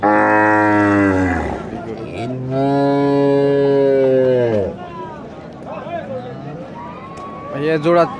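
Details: Cow, one of a pair offered together at the Rajshahi City Haat cattle market. Two loud, long, low moos: a short one, then a sustained call of about two seconds. People talk in the busy market behind.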